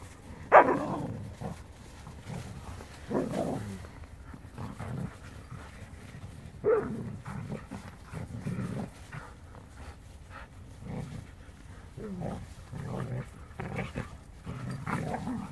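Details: Siberian Huskies, two males and a charming female, playing together; sharp yelping barks and vocal bursts come in irregular bouts, spaced a second or more apart, with quieter grumbling between them.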